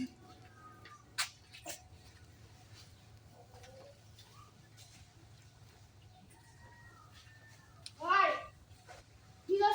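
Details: Goats of an improved breed kept on a home goat farm, with a wavering, quavering bleat near the end, a second bleat starting as the clip closes, and people talking quietly earlier.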